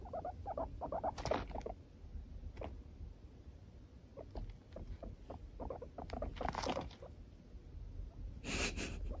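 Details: A four-year-old pet guinea pig refusing to be stroked, giving short low grumbling chutters in irregular bursts, with a few louder broadband rustles or thumps in between.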